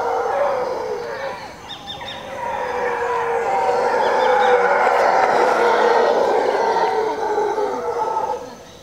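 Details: A troop of howler monkeys roaring from jungle across the road at the edge of Zancudo, Costa Rica, around 5:30 in the morning; dense, sustained overlapping roars swelling louder toward the middle, then fading.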